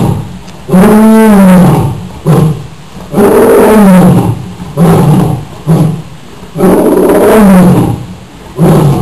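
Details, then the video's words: A lion at Rio Grande Zoo roars in deep, drawn-out moaning bursts, each followed by shorter grunting exhalations. "Lion Roars"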